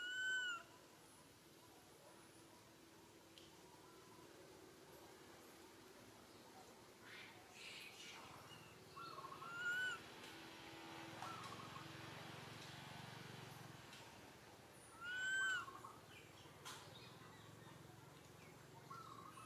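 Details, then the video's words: Baby monkey Santo calls sadly for its mother Sara, asking for milk; short arched whistled cries come spaced several seconds apart over a steady rural background with faint rustling and occasional low sounds. "Little Monkey SANTO feels sad and cries so sadly call Mama SARA came to take care of him"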